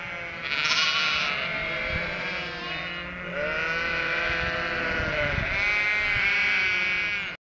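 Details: Cotswold sheep and three-week-old lambs, stirred up by a passing car as they await the farmer with food, keep up a steady chorus of overlapping, quavering baas, high and low voices intermingled.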